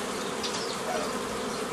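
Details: Swarm of honey bees from a forager swarm being split into nucleus colonies in May 2018; a thick, even drone of many wings, loud and unbroken throughout.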